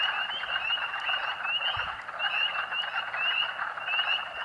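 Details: Huge spring peeper chorus at Rothrock State Forest along Colerain Road, Huntingdon County, Pennsylvania, on March 11, 2012: piercing upslurred peeps overlapping constantly above a dense roar of many more frogs.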